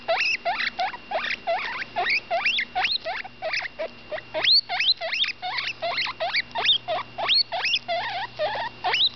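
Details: Ten-day-old guinea pig Butterscotch, a female, squeaks continuously as she eats, producing dense, uneven bursts of shrill rising whistles, some climbing very high, about three per second, with a soft steady hum underneath.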